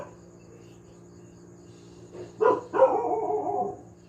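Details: Household dog giving a short bark followed by a drawn-out, wavering yowl lasting about a second, after a quiet stretch with only a faint hum.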